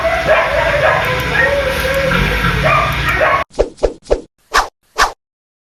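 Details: Dog barking recorded on April 26, 2026, heard repeatedly from early morning until almost midnight during a hot day. Five short, sharp barks in quick succession close the clip, after several seconds of dense background noise with faint music-like tones.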